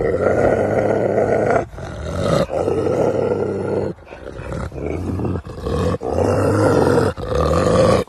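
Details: Un-neutered captive male Russian wolf showing winter breeding-season aggression: rough, harsh growl-roars in bursts of about one to one and a half seconds, nearly continuous with short breaks, eight seconds long.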